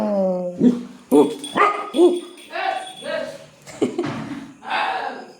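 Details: Domestic dog on a road where no one is present, barking for no apparent reason: a run of hoarse, uneven barks and yelps about two per second, with a person talking in Bengali over them.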